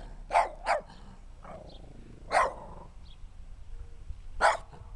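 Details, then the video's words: Small, dirty dog barking at a person who talks to it: sharp broadband barks, two quick ones, then single barks about two seconds apart, with quiet gaps between. "Little Dirty Barking Dog"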